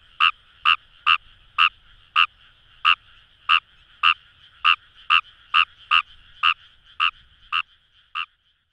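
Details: Kawamura's rice frog croaking in Kamo River rice paddies, Itoshima, Fukuoka: a fast run of about eighteen short croaks that quickens, then thins out and fades, over a steady chorus hum that drops away at the end.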